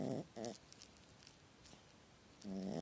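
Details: Dreaming small dog snoring in its sleep during a nightmare; short rough snorts at the start and a longer groaning snore at the end, indoors.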